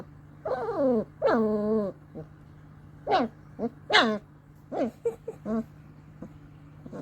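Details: Whining grunts from two-week-old long-coat German Shepherd Dog puppies: two long wavering calls, then shorter rising squeaks and yelps, irregularly spaced, against a steady background hum.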